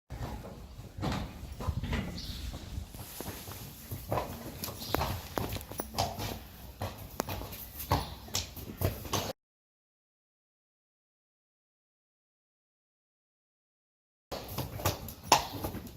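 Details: Friesian horses from a herd being taken outside, hooves clopping in quick, uneven knocks over about nine seconds, then a pause of silence before more irregular hoof clatter resumes.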